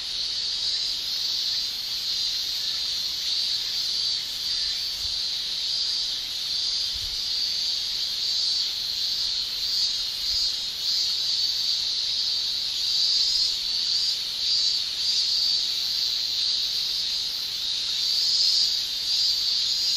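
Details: Japanese summer cicadas, males singing via tymbals, keep up a sustained piercing drone; the shrill band brightens and grows a little louder in the later seconds, with brief sharper flickers near the top.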